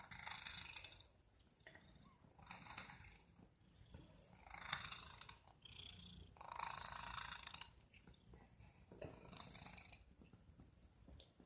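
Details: A pet cat producing odd noises, a series of rasping, breathy snort-like pulses about every second or two, with a faint purring rumble beneath in a quiet room.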